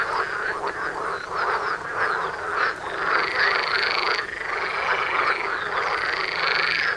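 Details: Mating frogs in a lively chorus just outside a house, continuous croaking with layered rattles and a sustained higher tone joining halfway, no other sounds standing out.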